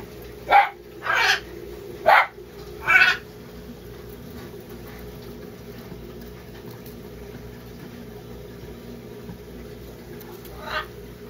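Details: A newborn sugar glider, noticed only once its parent let go of it, gives four short, raspy yips in quick succession and a fifth several seconds later, over a low, steady hum.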